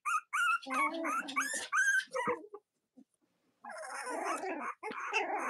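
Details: Cavalier King Charles Spaniel puppies from two litters, mothers Robin and Myra, indoors: a run of rising and falling whimpers and squeaks, a short silence, then a longer rough, noisy whine.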